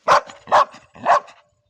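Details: Ruby, a pet Labrador Retriever, "talking": three loud, short barks in a steady row about half a second apart, each with a faint echo trailing behind it in an indoor-sounding space.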